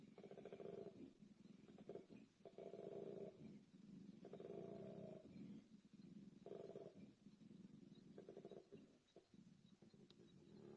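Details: A male koala bellows during the breeding season to attract females, alternating deep rasping snore-like inhales with rough, belching exhales, recorded by sound recorders left in the environment.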